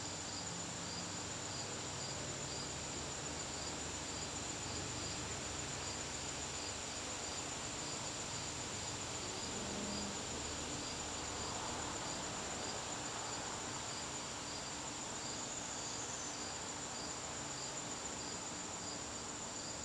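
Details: Garden crickets calling through a September evening, an unbroken shrill trill overlaid by regularly pulsed chirps, with steady background hiss.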